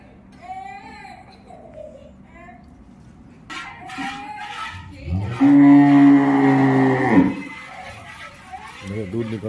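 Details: Cow during milking gives a single low, drawn-out moo of about two seconds, rising in loudness then cutting off, with people talking in Hindi before and after.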